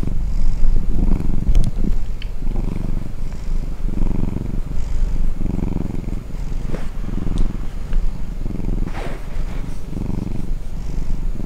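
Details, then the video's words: Domestic cat purring while asleep after being disturbed, a deep rumbling purr pulsing in steady waves roughly every second, each inhale and exhale audible as a swell; faint breathy hiss on top. "打擾熟睡主子 貓咪呼嚕聲"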